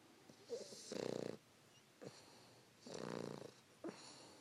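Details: Fannie, a 3-month-old English Bulldog puppy, snuggling and sleeping with her owner around 5 AM, snores in two long rattling breaths about two seconds apart, each followed by a short snort.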